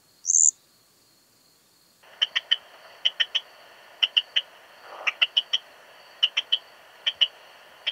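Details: Eastern Stripe-headed Cricket (Modicogryllus frontalis) singing at Puntigam, Austria, on 10 June 2022: after one short high buzz, short chirps of two or three sharp pulses repeat at irregular gaps over faint background hiss.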